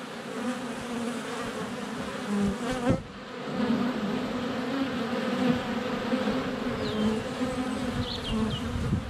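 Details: Close-range hum of honey bees flying around their hive entrance in February sun, GoPro Hero 7 Black; a thick continuous buzz, a sharp knock from a bee hitting the camera, and thin birdsong notes near the end.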